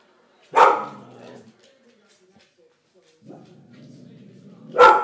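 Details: George the English Springer Spaniel barking at something: a single sharp bark trailing into a low rumble, a quieter growl-like sound, then another abrupt bark at the end.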